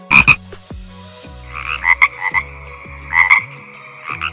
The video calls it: Frog ! Croak! Croak! 👌Beauty of Nature l👍Don't forget to subscribe 😊✌